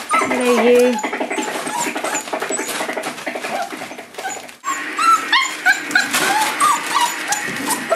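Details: Five-week-old Boerboel puppies with their mother Cleo: a busy chorus of overlapping high whimpers and short squeals, some bending up and down, with a brief quiet dip near the middle before the yelping resumes.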